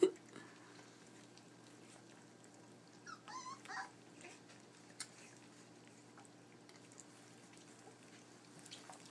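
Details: Puppies at 23 days old, indoors, discovering dry food from their first bowl; a short burst of high, wavering whimpers around the middle, otherwise quiet room with faint clicks and a low hum.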